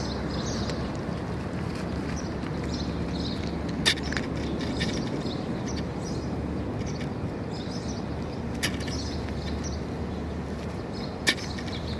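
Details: Steady low street traffic rumble with a few sharp clicks and knocks; no animal voice present.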